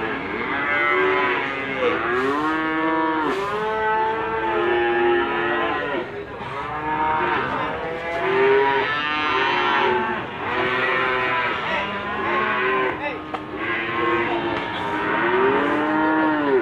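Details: A chorus of Limousin cattle at a livestock market in Gondanglegi, Malang Regency, East Java, recorded 12 February 2020. Rising-and-falling moos from many animals overlap almost continuously, with occasional sharp knocks and clanks.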